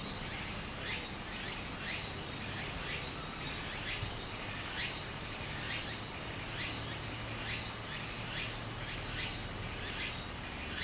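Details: Japanese cicadas in summer near a stream, their shrill song pulsing regularly about every second over a continuous high whine, while the brook's steady rushing fills the background and faint descending chirps come and go.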